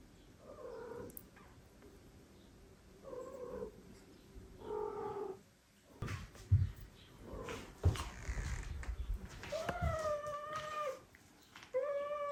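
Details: Older female cat being introduced indoors to adopted foster kittens she now shares a room with. A series of harmonic, mid-pitched meows comes in short bursts, with some rising and falling slightly. Later meows are longer and higher, with faint rustling between calls.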